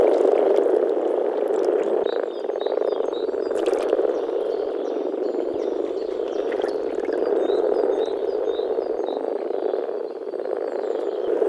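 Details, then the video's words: Male Rana temporaria calling together at a spring mating pond in the forest, a thick rumbling grumble that dips briefly twice, with a few short bird notes and clicks above. "Nature sounds – European common frog (Rana temporaria)"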